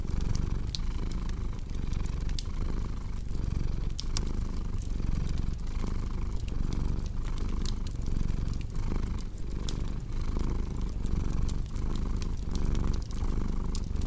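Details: A cat purrs steadily in a low, rumbling drone that swells and dips with each breath, roughly every half second, while a cozy fireplace crackles and pops sharply throughout.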